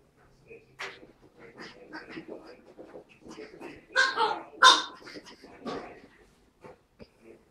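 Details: Playing Pug and Chihuahua puppies, Tilda and Roz: scattered soft snuffles and grunts build to two sharp, high yelps close together midway, then fade back into scattered small noises and quiet.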